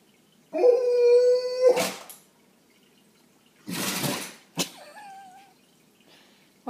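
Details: A male Great Dane starts a steady, drawn-out howl that breaks off into a loud, explosive sneeze, as he sneezes every time he tries to howl.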